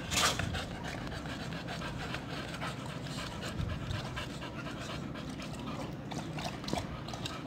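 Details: Boxer dogs Toto and Cherry playing together, heard as noisy, breathy panting bursts repeated throughout, with soft rustling and scuffling in the background.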